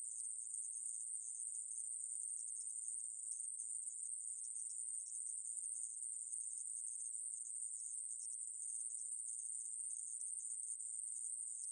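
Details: Conehead katydid (애매부리), a 2020 reference recording: an unbroken, high, hissing buzz held at one steady pitch and loudness for the whole stretch, with no pauses or rhythm changes and no other sounds behind it.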